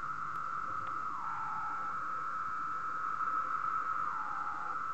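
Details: Cicadas singing on a moth sheet at 3 am, the males producing sound by vibrating tymbals; a steady, continuous tonal drone with brief dips to a lower pitch near the first and fourth seconds, over a faint background hiss.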